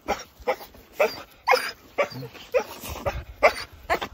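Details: Jindo dogs of a family living in Seongju, Korea, excited at a visitor's arrival, giving a rapid, uneven run of sharp barks and yelps about twice per second, with brief human voices between.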